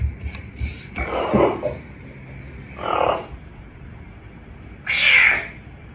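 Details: Caracal giving harsh, breathy, noisy bursts, three main outbursts spaced one to two seconds apart, the last sharper and higher, over a steady background hum.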